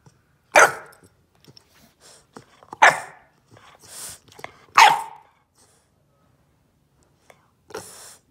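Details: Ollie, a bulldog puppy, demand barking in protest after being told not to bite the corner of the couch: four loud sharp barks spaced about two seconds apart, with a fainter fifth bark near the end and soft huffs between.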